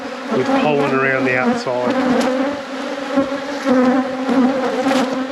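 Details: Honey bees in a beekeeper's apiary during a hive inspection: a steady, dense hum with low droning bands, a human voice speaking briefly over it near the start, and then unbroken buzzing.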